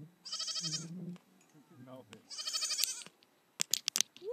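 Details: Baby Nigerian Dwarf goat at play on a hillside with a companion; two strained, quavering bleats about two seconds apart, followed by sharp clicking and rustling sounds.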